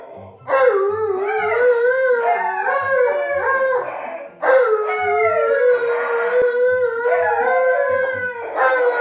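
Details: Pet dogs, Monroe the Malamute and Tonka the Husky, at breakfast time: long drawn-out howls with wavering, sliding pitch, two sustained bouts separated by a short break, over soft rhythmic background music.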